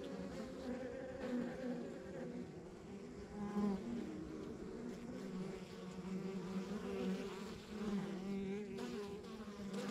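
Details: Rural backyard beehive alive with honey bee buzzing, a thick steady drone with wavering pitch bands and several passing bees briefly louder, over a low constant rumble.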